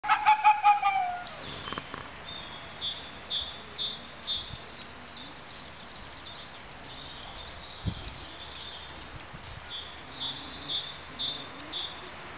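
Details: Captive Arctic foxes at ZOO Brno, one calling: a loud harmonic yelp falls slightly over about a second and a half, then a run of faint, rapid high chirps repeats through the rest.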